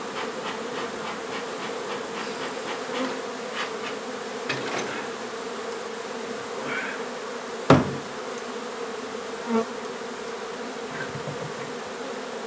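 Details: Honey bee hive being relocated from an old home under renovation in Donna, Texas. A continuous buzzing drone runs throughout, with scattered clicks and one loud bang near the middle.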